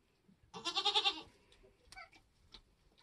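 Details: Nigerian Dwarf goat during kidding on a homestead, kids being born: a single loud, wavering bleat of about three-quarters of a second with a pulsing tremolo, followed by quiet shuffling and small clicks.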